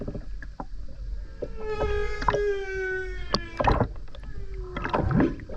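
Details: Humpback whale singing in the sea off the Ogasawara Islands, Tokyo, Japan, 29 January 2022, recorded by a skin diver; a long, slowly falling harmonic moan followed by a brief rising squeal, over clicks and water noise.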